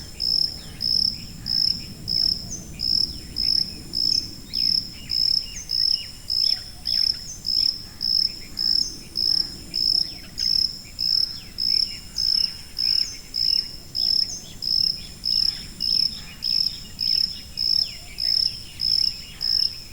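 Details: A long, even run of shrill cricket chirps, close to two each second, with faint scattered chirps and thin calls behind and a gentle low rumble underneath.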